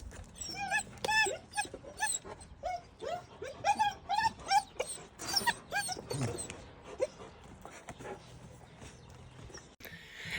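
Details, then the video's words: Young puppy whimpering and squeaking, then yelping, because it cannot work out how to get round a door to reach food it sees. High squeaky whines and short yips come rapidly in irregular bursts, with a person's quiet voice. "Welpe lernt das Quietschen nicht die Lösung ist"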